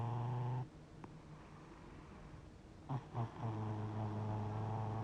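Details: Deep, low droning snore from a sleeping cat said to be 60 years old. A steady buzz breaks off, two short snorting puffs follow near three seconds, then the humming rumble resumes.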